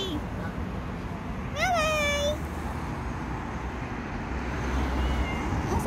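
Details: A street cat filmed in January 2024 lets out one clear meow that swoops up sharply and then eases into a long level tail; quiet street hum and faint distant tones fill the rest of the recording.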